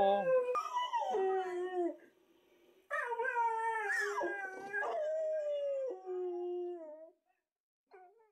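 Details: Three-year-old black Labrador Ike cries and howls at a talking husky on TV; wavering, rising-then-falling howls, two main phrases followed by a faint short whine at the end.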